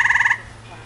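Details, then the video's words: A tree frog calls as its throat swells beneath the chin: a brief burst of about six rapid, pulsed, nasal notes packed into a third of a second, then quiet room noise. "Watch How A Tree Frog Screams"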